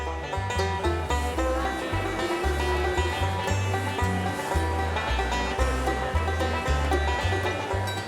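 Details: Lively plucked banjo music in a bluegrass style plays throughout, with no animal sound.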